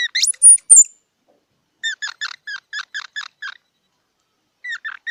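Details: Squirrel opens with piercing high whistled squeals. A steady series of about eight evenly spaced downslurred chirps follows, then a couple more chirps after a pause.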